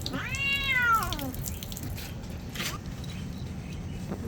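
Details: Domestic cat complaining while being given a bath: a single harmonic meow that arcs up and then falls, followed by dripping and splashing water sounds and quiet background noise.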